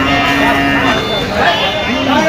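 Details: A short, flat, low moo from cattle at the Moukhora big bull cattle market on 31 August 2025. It holds one steady tone for under a second amid a noisy crowd and talk.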